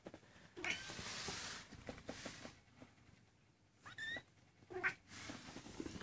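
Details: A 19-day-old Maine Coon kitten gives a few thin, high-pitched mews amid rustling.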